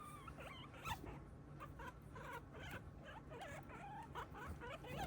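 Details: Pet guinea pig named Moko coming close because it wants attention; soft, quiet squeaky chirps with wavering, looping pitch, repeated in short bursts over a steady low hum and faint rustling.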